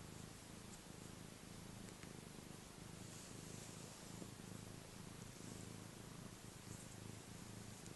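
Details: Continuous low purring from a happy pet cat, a rough rhythmic rumble sustained for the whole stretch, with light breath noise over it.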